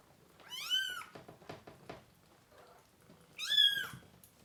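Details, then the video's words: Young kittens indoors crying during deworming and feeding; two loud, high, downward-arching meows about three seconds apart, with soft shuffling and handling noises between them. "Too MANY Crying Baby Kittens!"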